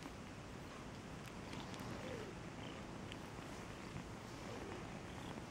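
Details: An affectionate domestic cat purring in a steady, continuous low rumble that holds unbroken for the whole stretch, with a few faint clicks over the top.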